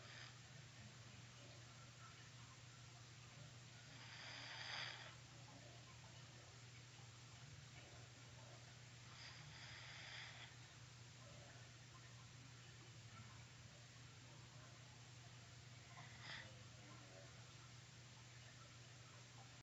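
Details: Sleepy green-eyed black cat snoring indoors: soft, breathy rasping snores, one roughly every five to six seconds, with quieter breathing between, over a steady low electrical hum in a quiet room.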